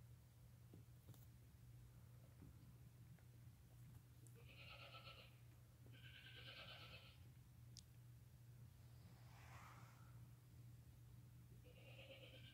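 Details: Newborn lambs less than five hours old, born that day, walking and nursing beside their mother; several short, nasal, wavering bleats spaced a few seconds apart, fairly faint over a steady low electrical hum.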